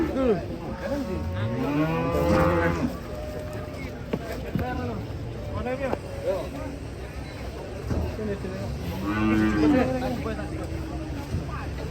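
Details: Cattle giving two drawn-out moos about seven seconds apart, each swelling then falling away. Men talk quietly in between over steady background noise.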